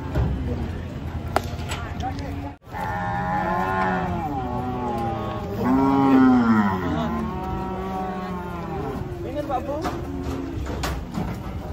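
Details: Cattle being unloaded from a truck give long, drawn-out moos with rich, rising-then-falling tones, one louder and higher bellow in the middle, over a steady low engine-like rumble and background chatter.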